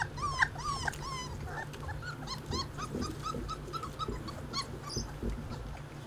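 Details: Basset Hound puppies outdoors for the first time give high, squeaky whines and yelps in quick arching bursts, several overlapping, over a steady low hum.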